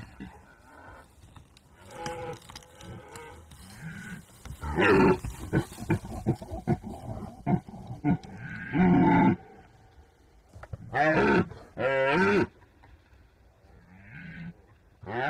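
A red deer stag gives deep, harsh rutting roars in several loud bursts separated by quieter pauses.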